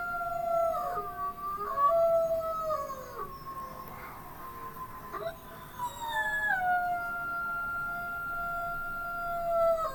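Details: Gray wolves (Canis lupus) howl in long, smooth tones that slide up and down, with several voices overlapping.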